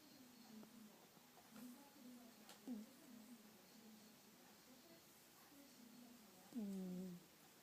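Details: A sleeping domestic cat snoring indoors: soft, low, droning breaths repeat every second or so, with a few short squeaky, falling nasal whistles, the loudest near the end.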